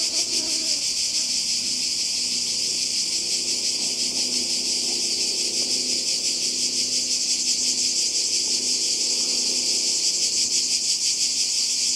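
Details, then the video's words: Summer 2020 seaside in Croatia: massed cicadas make an unbroken, piercing high hiss-buzz with a slight shimmering pulse throughout. Faint low tonal murmurs can be heard far beneath the insect wall. "Kroatien Zikaden und Meer"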